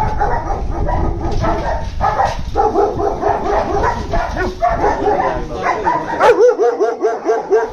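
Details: A crowd of German Shepherds barks in an overlapping din, with a heavy low rumble beneath. Near the end one dog takes over with a run of clear, evenly spaced barks.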